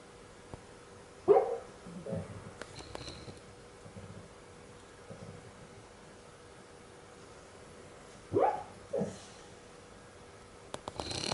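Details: Sophie, a dog, dreaming while asleep and making funny sounds: two short muffled whimpering yelps about seven seconds apart, each a brief rising-falling squeak, with faint rustling between them in a quiet room.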